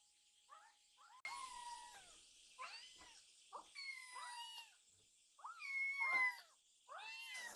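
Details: Two rescued baby kittens rushing at food and demanding more milk after their meal; a run of insistent, high, arching mews, several overlapping, each a second or less, with faint background hiss indoors.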